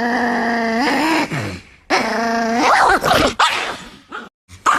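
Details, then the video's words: An angry Chihuahua growling and snarling: two long harmonic growls of about a second each, then rougher barking snarls and short bursts, with brief gaps between. "The Most Angry Chihuahua Ever!"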